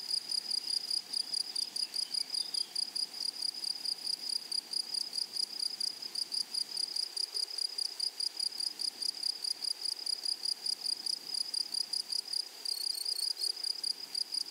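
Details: High, rhythmic stridulation from grasshoppers in a flowering meadow continues unbroken. Toward the end a sharper, higher chirp briefly overlaps the steady pulsing chorus.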